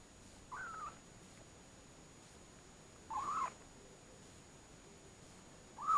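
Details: Kinked-tail kitten, nearly one month old, from Munakata Oshima in Japan, trying its first weaning food at home: three short, thin, high mews spaced about two and a half seconds apart against quiet background hiss.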